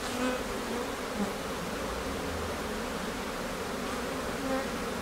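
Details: Steady low hum of a honey bee colony at its hive in Newfoundland in May, preparing to swarm within days; continuous droning buzz of many bees, a few louder individual bees passing close.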